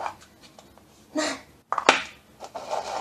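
Short scratchy, rustling bursts and a sharp clatter in a small room, with no clear animal voice.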